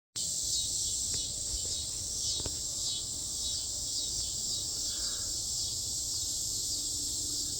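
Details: Cicadas, extremely loud on a mid-August night in 2025 in a south Chicagoland forest preserve: a dense, steady, high-pitched hissing buzz with no breaks, holding even strength throughout, with faint low rumble beneath.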